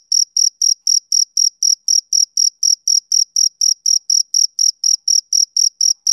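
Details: Evenly spaced, high shrill chirps from a male cricket on a summer evening, about four per second, clean with no background noise.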